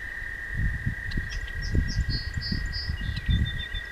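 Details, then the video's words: Toads singing at night along a walking path: a steady, unbroken high trill hums throughout, with a second slightly lower trill beneath it, while low rumbling thumps and scattered bird chirps sit in the background. "Singing Toads"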